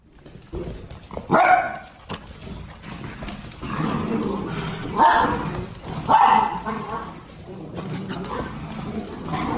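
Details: Miniature Dachshund from a breeder, barking in loud single bow-wows with brief yips in between, roughly three strong barks across the stretch, while human speech runs underneath.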